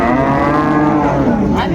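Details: Cows with calves at Ambari market, Dinajpur, recorded 24 May: a loud, continuous lowing moo fills nearly two seconds, steady and full-toned with a slight dip in pitch, with scarcely any voices behind it.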